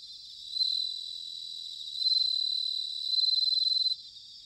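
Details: Bell crickets singing in autumn, recorded in Sanuki, Chiba, Japan: a high, bright pulsed trill that swells in three surges of loudness over about three seconds, then breaks off abruptly, leaving a faint, steady background ring.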